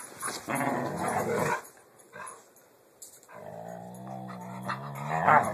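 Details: Playing pit bulls, filmed on an Android phone: a rough, noisy growl for over a second, a pause, then a long, steady, low-pitched growl with clear harmonics ending in a higher whine.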